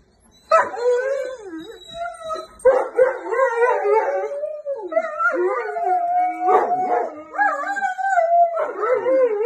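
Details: Great Dane and Poodle crying together, left at home when their owner took a pitbull for a walk; long wavering, whining howls that rise and fall in pitch, overlapping with short breaks, with faint music behind.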